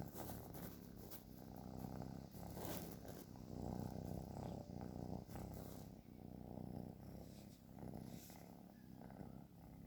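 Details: Cat snoring in its sleep, a dense low vibrating drone that rises and falls over several breaths, overlaid by scattered rustling and tapping noises.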